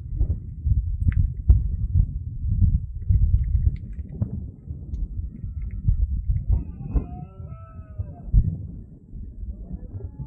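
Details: Red deer during the rut, recorded at 5 in the afternoon on 10 September 2024 in the Sierra de Andújar: deep, rumbling low roars fill the clip, with higher harmonic bellows rising toward the end.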